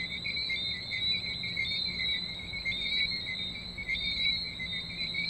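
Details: Chorus of tree frogs in St Maarten, shrill high-pitched whistles running on without pause, gently pulsing about once every second, layered into two constant pitch bands.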